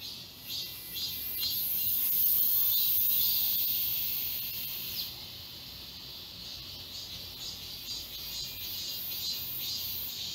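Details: Cicadas fill the summer woods of Galsan Park, Mokdong, Seoul: pulsing, metallic buzzing around twice a second beneath a brighter hissing burst early on that then fades back into the rhythmic chorus.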